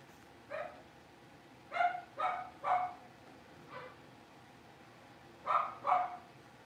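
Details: Five Blenheim Cavalier King Charles Spaniel puppies moving into their big pen: high, yappy puppy barks come in uneven bursts, a single yip, then a trio close together, a softer one, and a final pair.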